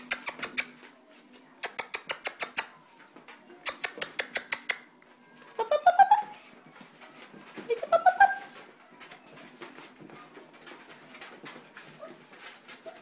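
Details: Dog puppies, 3.5 weeks old, at play indoors while a sound-socialization recording of school kids playing runs; bursts of rapid clicking taps, then two rising, squealing yelps in the middle, followed by soft scuffling.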